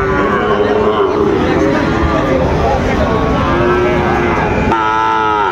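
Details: Sahiwal bull calves and other cattle at Raniganj haat, a cattle market in Dinajpur, 6 June 2024: drawn-out low lowing holds steady through the recording, a fresh moo breaking in near the end, over constant crowd murmur and bargaining voices.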